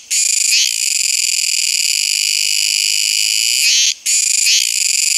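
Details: Kuroiwa tsukutsuku cicada in full call, a steady piercing high buzz that wavers slightly at the phrase ends, then drops out briefly before resuming with a quick stutter.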